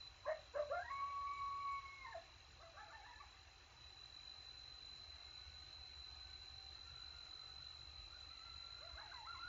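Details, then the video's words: Feeding coyotes in Texas, after a successful hunt, give one burst of yips and a sustained howl at the start. Only faint distant calls follow. "Coyote Howl Alert after a successful hunt!"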